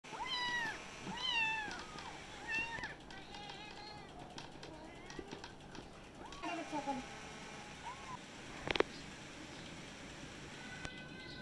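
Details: Several kittens meowing all at once, a chorus of rising-falling mews overlapping in the first three seconds, then scattered fainter mews and a sharp click near the end.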